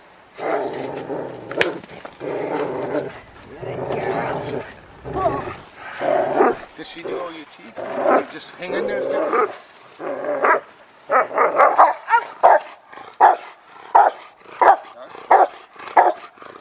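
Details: Rottweiler Fire v LordsNLadies in schutzhund (IGP) protection training. Human voices and rough growling sounds fill the first ten seconds, then a run of sharp, loud barks follows at a steady pace, about two each second.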